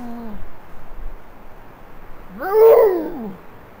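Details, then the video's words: A Canada lynx gives a harsh, wavering scream that rises and then falls away while walking past a trail camera in western Maine, near roadkill bait. "Canada lynx screams while walking past Maine trail camera"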